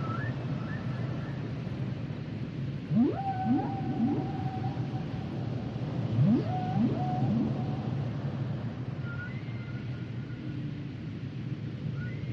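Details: Song of the humpback whale: two sets of quick ascending swoops trailing into level whistled notes, with faint high tonal calls at the start and end above a heavy low-frequency underwater drone.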